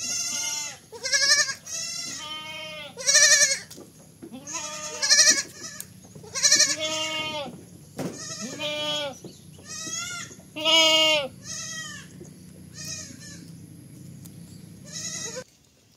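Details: Young goat calls insistently, around sixteen shaky, vibrating bleats, some loud and some softer, repeated about every second, with a low steady hum and high hiss beneath.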